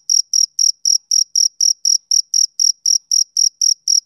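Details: A male cricket on a summer evening, giving sharp high chirps roughly four each second in a regular beat against a silent background.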